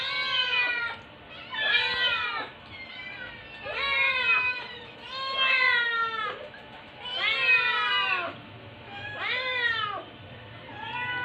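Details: Several rescue kittens, about 6-8 weeks old and found dumped in Metro Manila in September 2023, meow insistently together, high arched cries overlapping in bursts as they beg for their carer's lunch.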